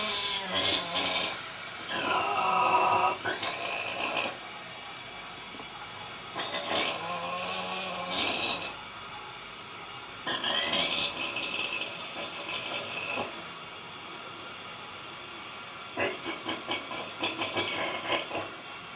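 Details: Vietnamese pig snoring at a Buddhist nunnery near Hue, Vietnam: raspy, tonal snores arrive in bursts of about two seconds, one roughly every three to four seconds, with a steady low hum underneath.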